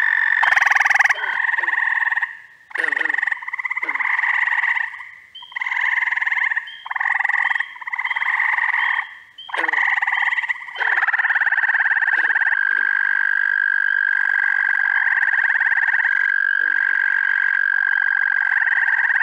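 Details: Mixed frog chorus in early June in upstate New York, spring and summer callers overlapping: pulsed trilling calls around one to two seconds long, repeated with short gaps, with a long steady continuous trill filling the second half.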